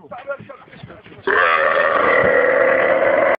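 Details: Two camels riding inside a car; after a moment of murmured talk, one bursts into a loud, sustained, gurgling harmonic groan that holds steady for about two seconds.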